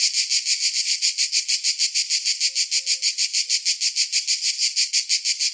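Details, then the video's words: Cicadas singing in summer: a loud, harsh, high buzzing that pulses steadily about three times a second throughout, with three faint, soft low whistled notes briefly in the middle. "Summer Cicadas Sound"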